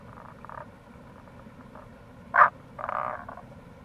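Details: Tago's brown frog calling in April near a gorge on the Kamo River, Itoshima, Fukuoka, Japan: one short, loud, low croaking pulse, with fainter rasping notes before and after over a steady background murmur.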